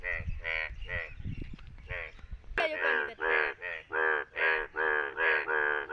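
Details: Indian bullfrog, yellow, in rain in India, giving loud, nasal, harmonic croaks in quick succession, each about half a second long.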